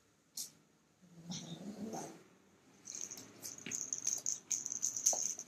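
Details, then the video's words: A kitten guards his toy with a low, rising, grumbling growl lasting about a second, followed by a stretch of scratchy rustling and clicks from play or handling. "Kitten growling at me trying to take his toy"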